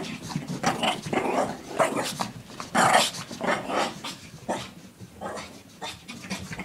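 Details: Female Shih Tzu indoors, playing wildly with a pink puppy blanket and doing zoomies; rapid breathy huffs and snorty pants in uneven bursts, mixed with soft low growly grunts, in a small quiet room.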